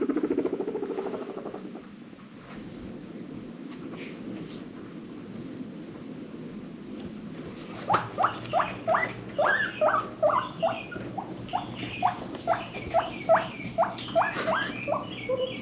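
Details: Pet guinea pigs from a rescue-adopted herd, happy wheeking: after quiet indoor rustling, a quick series of short, rising squeaky notes, about two or three per second, over a faint steady hum.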